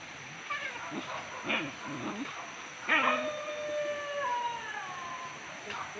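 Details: Hunting dogs on a wild boar pest hunt at Tarok, Sicincin, Padang Pariaman: a few short barks, then at three seconds a loud bark that slides into a long, wavering, descending howl-like yelp lasting over two seconds, over steady outdoor noise.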